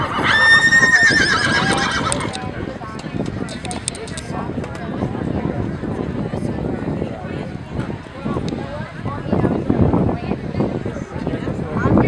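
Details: Off-track Thoroughbred at a Thoroughbred horse show held at Pimlico Racetrack in July; a sharp, quavering whinny opens the recording, then gives way to continuous crowd talk and hoofbeats.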